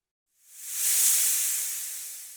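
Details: Patagonian lancehead from Argentina: a single breathy, high-pitched hiss swells over about half a second, peaks, then fades slowly without breaking off.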